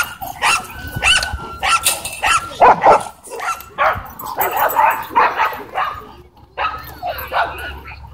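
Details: Dogfight between a Doberman and a Belgian Malinois at a dog park: loud harsh barks and snarling yelps in uneven bursts, some with tonal whining edges, and human speech faintly underneath.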